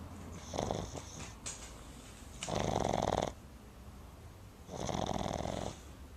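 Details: A Boston Terrier puppy snores loudly in long, rattling, nasal breaths separated by quiet pauses after spending the day at the river.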